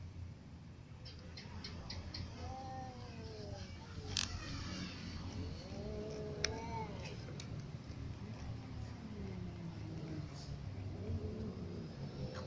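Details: Little cat and adult cat calling, a series of drawn-out arched meows, several overlapping, rising then falling, with a few sharp clicks, over a steady low rumble of traffic or engine noise.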